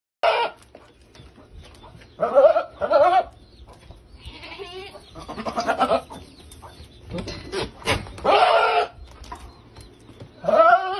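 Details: Male goat chasing a female goat to mate, giving loud harmonic bleats in several bursts of about half a second to a second, separated by quieter rustling and background noise.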